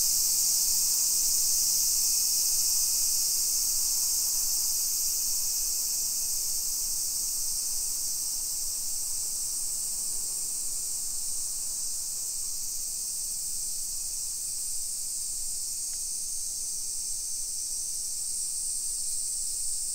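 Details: Summer cicadas in a hillside residential neighborhood of Nisshin, near Nagoya, Aichi Prefecture, Japan, at 1 PM on 28 July 2021: an unbroken, shrill, high-pitched droning chorus holding steady throughout, with a faint low background rumble.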